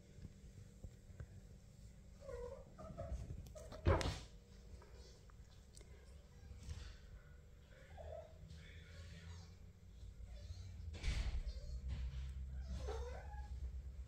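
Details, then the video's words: A 28-day-old kitten, newly coming out of its nest, runs after its owner, giving several thin, quiet meows that rise and fall. The meows come a few seconds apart over a steady low rumble, with a couple of brief knocks. "Pinky started to come out of her nest, running after me and meowing"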